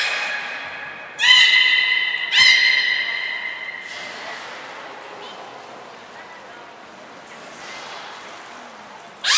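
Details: Captive belugas Hodoi, Taanya and Mirai during pool transfer and training, Port of Nagoya Public Aquarium, 14 March 2021: two short buzzy harmonic squawks, then a long steady whistled tone fading out, and a faint high ping at the end.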